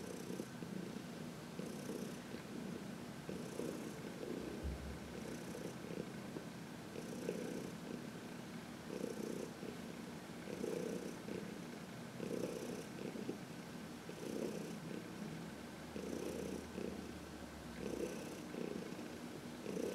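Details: Steady contented purring from Heidi, a senior adopted cat aged 14, as she gets a sunny massage on March 19, 2021. A continuous low rumble rises and falls with each breath about every two seconds over twenty seconds.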